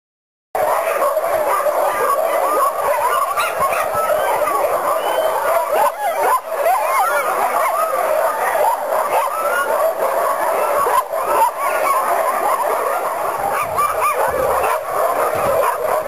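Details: Sled dogs at a summer dog sled camp, bouncing up and down as if eager to go, bark and yip in a dense, overlapping chorus of many dogs. The barking goes on without pause, with excited yelps rising throughout.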